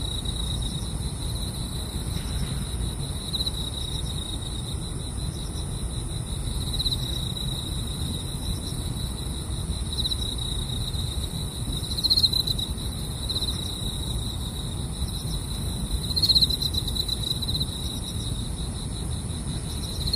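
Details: While car camping, a steady, high, ringing chorus of night grass insects trills without pause over a low background rumble.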